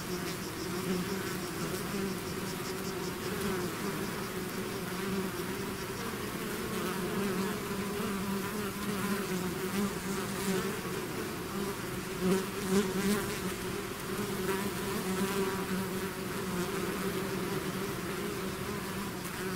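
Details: Swarm of bees emerging from a hive: unbroken layered hum over twenty seconds, with nearer bees rising in pitch and loudness briefly around twelve to thirteen seconds.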